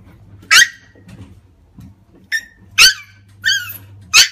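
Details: Male black Shiba Inu puppy, born 30 January 2015, indoors at the Maruwan Sagami-Otsuka pet shop, letting out five short, sharp, high-pitched yaps spaced unevenly over four seconds, over a faint low electrical hum.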